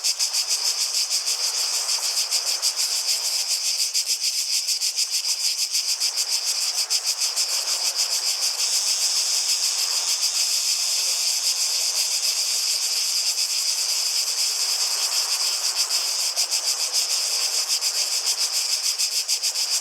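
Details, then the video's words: Continuous shrill cicada chorus outdoors, a high sizzling buzz with fine rapid pulsation, accompanied by soft low-mid swells like running water or footsteps. "Relaxing Sounds of Cicadas"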